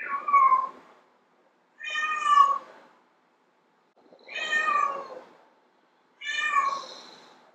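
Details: A female domestic cat gives long, drawn-out meows, one about every two seconds, a call said to attract male cats.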